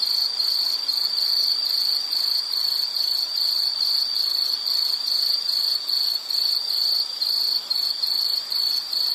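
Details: Steady insect chirping for calming background listening, quick evenly spaced pulses on a high pitch, roughly two to three per second, with layered higher buzzing and occasional short lulls.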